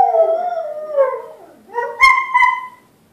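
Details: Brief excerpt of two pet dogs howling at a talking caller ID, a long howl gliding downward to a low dip, then rising again into a clear, higher wail with two sharp clicks behind it.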